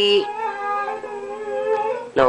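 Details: Siberian husky kept as a pet, singing for the owner who left him behind: one steady sustained howl with slight wavering pitch, a short voiced sound at the start and another at the end.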